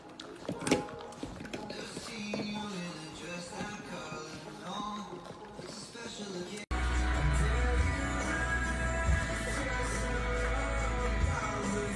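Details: Music plays under speech, then after an abrupt cut a louder, denser music track continues, with no animal sound present.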